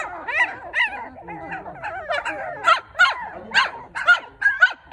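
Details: Newborn Maltipoo pups, four in the litter, give softer murmuring whines at first, then sharper repeated squeaky cries at roughly two per second.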